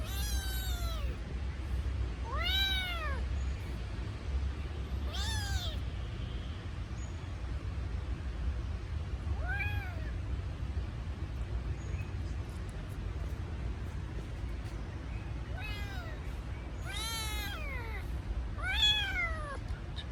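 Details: Crying kitten that misses its mother: brief arched meows at irregular intervals, sometimes several seconds apart, with a continuous low rumble underneath.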